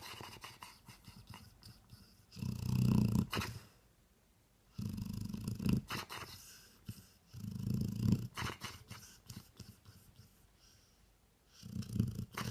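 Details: Dog asleep and snoring: long low grinding snores, each lasting about a second, coming roughly every two and a half seconds, with quiet breathing gaps and light clicks between.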